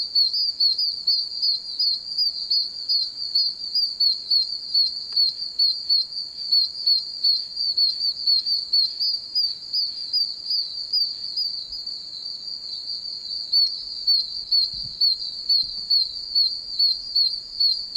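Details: Many tiny wild oak toads chirping from puddles in a very wet wilderness area: a deafening chorus of high, piercing peeping notes overlapping into a continuous shrill band, pulsing roughly twice a second.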